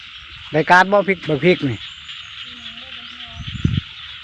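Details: Frogs in a rice field give a burst of deep, harmonically rich croaks over about a second, then fall quiet before a short low grunt, against a constant high insect drone.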